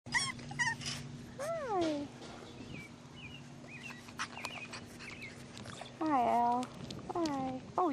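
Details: Six-week-old English Bulldog puppies, a litter of boys, giving high, sliding whimpers and squeals that fall in pitch, several overlapping bursts, over a steady low hum.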